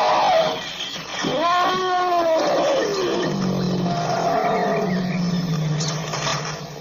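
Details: African elephant calling with a bending, wavering roar that drops into a sustained low, growling rumble lasting several seconds, over a steady hissing background.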